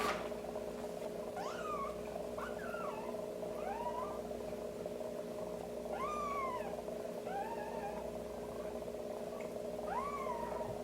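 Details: Kitten crying repeatedly as it is stimulated to pass stool by tapping around the anus with a warmed wet wipe; about seven high, bending mews, some doubled, spaced every one to two seconds, with a steady mechanical hum underneath.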